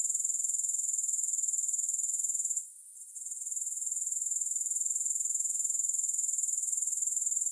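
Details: Soothing grasshopper chorus without music. A continuous shrill, high trill pulses evenly about four times a second, briefly fading into near silence midway before swelling back to full strength.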